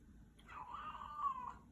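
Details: Shadow, a talkative house cat, greets its owner coming home with a long, smooth meow that holds a steady pitch before tapering off, followed by the owner's spoken hello in a quiet indoor room.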